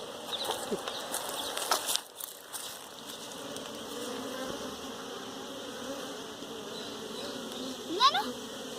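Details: Honey bees at a hive being caught for domestication; a continuous buzzing hum fills the background, with louder rustling handling noise early on and a brief sharp sound near the end.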